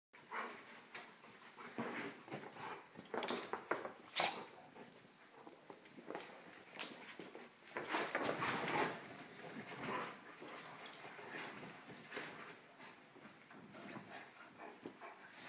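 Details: Two dogs, one little and one big, playing together indoors: rough, noisy growls and huffing bursts come in quick clusters, loudest around the fourth and eighth seconds, with scuffling between them.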